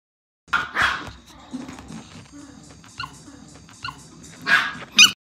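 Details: Two Pomeranian twins playing together, not fighting, comparing who has the bigger mouth; sharp yips and barks at the start and end, with quieter growly sounds between.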